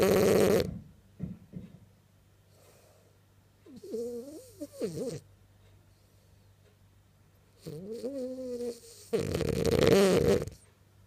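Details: French bulldog asleep and dreaming: brief rasping snores open and close the recording, with soft whiny, wavering whimpers around the middle and later, as if vocalising in a dream, in a quiet room.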